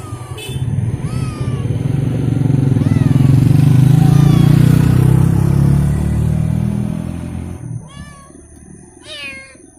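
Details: Abandoned stray cat on the street, still wanting to follow someone home; a few short rising-falling meows at the start and two clearer ones near the end, masked midway by a loud rumbling motorcycle engine, with brief speech.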